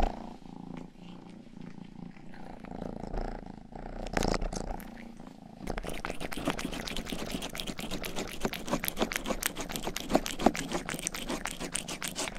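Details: Youngest pet cat Rang-i purring indoors in a small room, a steady low rumble, then wet rhythmic licking and grooming of a binaural microphone's ear from about six seconds, quick ticking smacks several per second over the soft purr.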